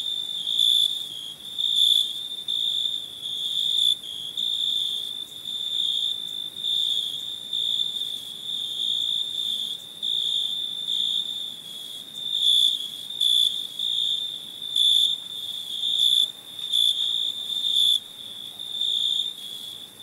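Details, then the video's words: Crickets chirping at night: a steady high, shimmering trill that holds without a break, swelling and fading gently in loudness every second or so, with no other animals or voices. "Relaxing Chirping Crickets"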